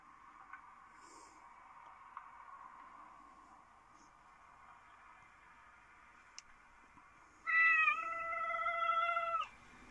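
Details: A black fluffy cat, described as Japanese, gives one clear drawn-out meow with a rising start and steady harmonics, about two seconds long near the end, after quiet indoor hum and soft taps.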